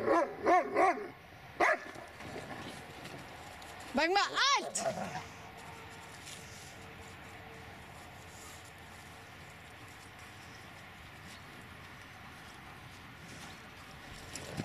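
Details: Dobermann Magmar Von Der Burgstätte barking: a few sharp barks at the start, another burst of three or four around the middle, then a long quiet stretch with low background hum.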